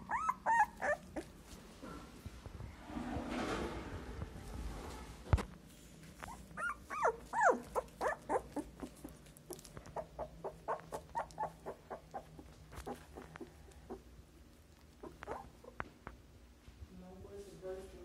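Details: A newborn Siberian Husky puppy, opening its eyes for the first time, whimpers in rapid, uneven, high-pitched squeaks over a low rustling murmur, with a brief burst of soft noise near the start; finding: Siberian Husky.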